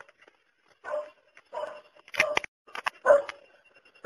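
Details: Dog gives a few scattered barks after a quiet start: soft huffs first, then sharper, brighter barks toward the end, with short gaps between them.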